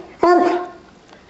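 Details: Bob, a pet dog, gives one short, tonal bark with a clear harmonic ring, lasting about half a second before fading in a small indoor room.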